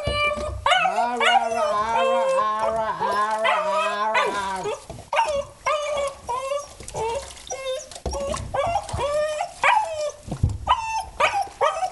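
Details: Mercy, a male low-mid content wolfdog, howls and yodels through his first bath: a long wavering, rich-toned wail for several seconds, then broken yips and whines over splashing water.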